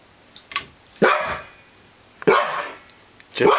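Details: Female husky distrusting a newly arrived elk mount indoors: short, moaning, wavering vocal bursts about once a second, three in a row, with a man talking and reassuring her.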